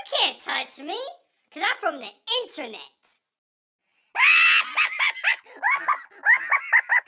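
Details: Pet Siberian Husky indoors "talking": bursts of wavering, yowling vocal sounds. After a pause comes a longer run of rising and falling whines.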